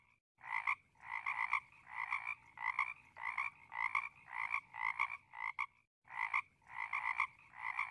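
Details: Frog calling in rapid, rattling croaks repeated about twice a second, each burst a buzzy pulsed note; a short silent break falls near the middle before the croaking resumes.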